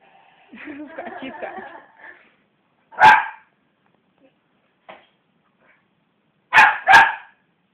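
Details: Indoor West Highland White Terrier Belle, stirred up by hands bashing on the sofa, growls in a low rattling grumble, then lets out a single sharp bark and a quick double bark.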